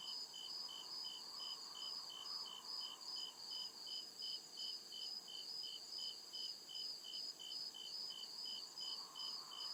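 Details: Forest crickets at night giving a shrill, metronomic chirp, about two and a half pulses a second sustained across the recording, layered over a low, diffuse woodland hum.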